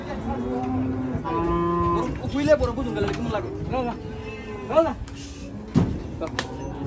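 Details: Cattle unloading from a truck at Hazratpur market in Bangladesh: repeated medium-pitched moos, some short and bending, mixed with people talking and occasional knocks and vehicle sounds.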